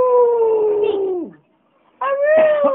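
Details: A Border Terrier howling in the house: a long, clear, tonal howl slowly falling in pitch and fading, a short silence, then a second steady howl begins.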